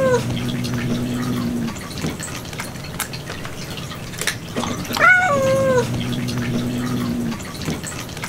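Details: Domestic cat indoors in a cat room, where a cat kept returning to eat kitten food over ninety minutes. A low steady hum is broken by one short, rising-then-falling meow near the end, with light tapping and dripping sounds.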